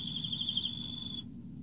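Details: In autumn, an Emma field cricket gives a high, rapidly pulsed chirp that runs into a steady ringing note and stops sharply after about a second, leaving only low background hum.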